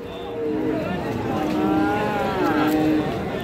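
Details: Cattle at Ranigonj market in Dinajpur, 31 July 2025, a Thursday, among Friesian and crossbred bull calves: several short, level, tonal lows rise from the herd at intervals, with constant human chatter and market noise throughout.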